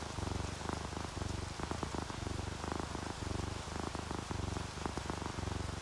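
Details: Happy, relaxed domestic cat purring while dozing near rain; clear low rumbles repeating in regular breath-like cycles a little under every half second, light raindrops audible in the background.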